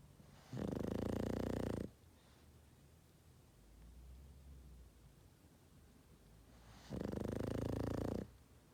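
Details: Boston Terrier asleep and snoring: two long, rattling, harsh snores about six seconds apart, with a faint low breath heard between them.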